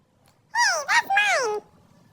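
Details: Basset Hound puppy squabbling with its brother over a stolen toy indoors; one high, clear whine that rises briefly, dips, then slides downward over about a second, with rich harmonics, in three joined parts.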